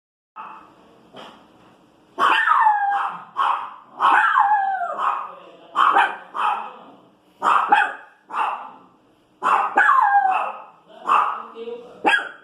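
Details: Pinscher bitch barking as if complaining about noise in the street: a run of sharp, high barks with whining, bending tones, in bursts roughly every second, fainter yips at the start.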